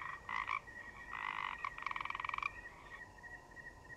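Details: Croaking forest frogs: a quick harsh croak, a longer buzzy one, then a fast pulsed rattle lasting about a second, followed by quiet with only the constant thin whine of crickets.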